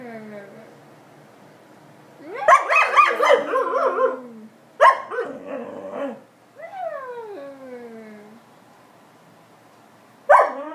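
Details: Alaskan Malamute kept as a pet, talking back to its owners: loud wavering woo-woo grumbles, a short yelp, a drawn-out descending whine, then another abrupt vocal burst; a person briefly remarks on the loudness.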